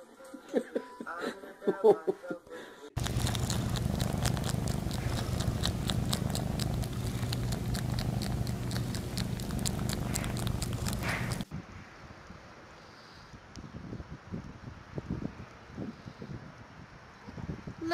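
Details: Domestic cat in a funny-cat compilation: a steady, rumbling purr holds for about eight seconds, between shorter bits of indoor noise and a faint voice.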